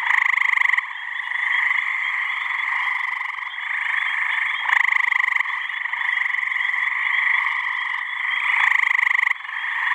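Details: Male gray tree frogs chorusing to attract females at a New Hampshire swamp on a warm mid-May evening; steady overlapping trills with a close frog's loud trill repeating roughly every four seconds above the chorus.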